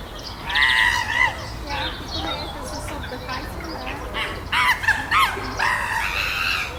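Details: Chimpanzees on Chester Zoo's Chimp Island, tense after a new baby's arrival, with alpha male Carlos trying to control the group amid fights and displays; loud harmonic screeching bursts, some wavering and rising, come in uneven bouts over faint background chatter.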